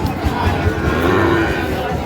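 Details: Sahiwal bull calf at a busy cattle market in Chuadanga, Bangladesh, 9 June 2025, gives a brief, steady, low moo lasting about half a second, set against crowd chatter and bargaining voices.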